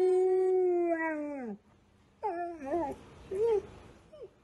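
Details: Golden Retriever singing to recorder music: one long, steady tonal howl that drops away at its end. A pause follows, then several shorter wobbling, bending yowls that trail off.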